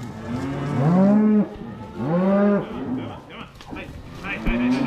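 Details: Herd of cows being moved home: two long, deep moos a second apart, each swelling then fading, followed by softer bawls, shuffling and faint music.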